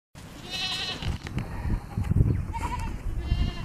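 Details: African Pygmy goat doe giving one short, wavering, nasal bleat near the start, followed by rustling, knocks and low handling noises.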